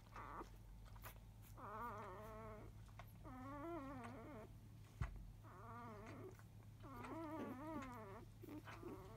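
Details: Five-day-old Labrador Retriever puppies of a field line, born to grand champion biscuit, fussing noisily as they begin nursing in the early afternoon: a run of wavering, harmonic whining cries, each about a second long, with short gaps and a steady low hum.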